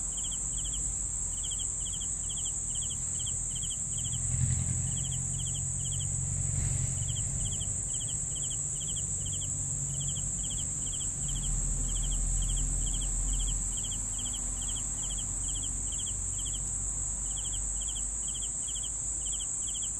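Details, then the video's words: A cricket keeps up evenly spaced, pulsed chirps for twenty seconds, briefly faltering around the sixth and seventeenth seconds, while soft low thumps and rumbling rise and fall beneath a continuous shrill background tone. "CRICKETS SOUNDS"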